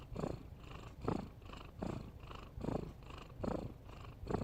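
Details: Cat snoring while asleep, each breath a hoarse, noisy rasp repeating roughly every 0.8 seconds in an even cycle, quiet and close, with no other sounds.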